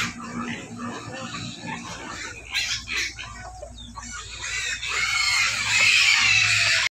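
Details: Pigs squealing from hunger around feeding, rough broadband screams building louder toward the end, a continuous low hum in the background.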